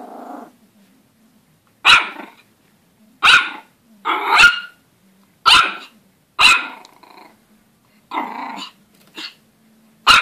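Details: Pomeranian puppy barking at its own reflection, mixing short high yaps with rumbling growls; about eight barks in ten seconds at uneven intervals, some growls leading straight into a bark.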